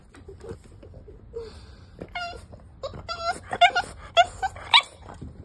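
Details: A five-month-old French Bulldog puppy gives short, high-pitched barks and yips in quick, uneven bursts, some rising into squeaky whines, insistently demanding to be allowed up onto the bed.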